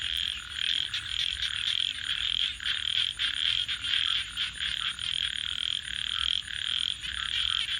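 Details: At night near a campfire, frogs produce a thick, rattling, high-pitched chorus. Rapid pulses swell and dip slightly every second or so over a faint steady hiss.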